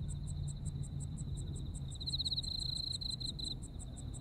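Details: Insect voices of a Japanese autumn: steady high-pitched chirps repeating about four times per second and a continuous thin trill that surges into a bright burst in the middle, over faint low background noise.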